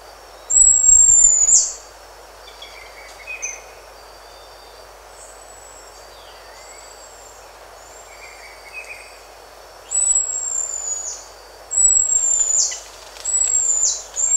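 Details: High, piercing drawn-out whistles from a buffy-headed marmoset, each held level for about a second before a sharp drop at the end. One comes early, then three arrive close together near the end, with faint short chirps between.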